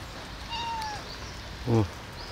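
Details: Hungry cat being fed in the rain on a Sunday morning, giving a short level meow that trails downward, followed by a woman's low voice saying it is hungry, with steady rain noise underneath.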